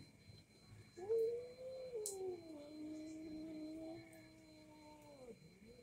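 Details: Two domestic cats, one orange, quarrelling and yowling at each other; a long, low, wavering moaning howl that slowly rises and falls for about four seconds, ending in a short drop, with a steady faint electrical hum underneath.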